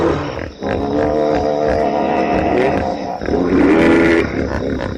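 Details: Hippopotamus giving a loud, sustained, rich harmonic wheeze-honk with a grating texture, briefly dipping before swelling again into a strong blaring stretch.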